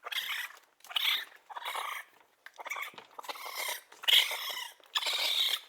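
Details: Young raccoon producing breathy, raspy whimpers and chitters in quick bursts roughly every second, noisy and high-pitched with a few thin squeaky tones on top; quiet background.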